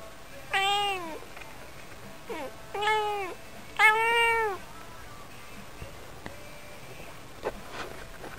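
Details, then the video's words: Yukke, a house cat, calls three times in clear harmonic meows, the first and last long and arching, the middle one shorter, followed by several seconds of quiet room noise with faint ticks. "Cute meow voice of my cat."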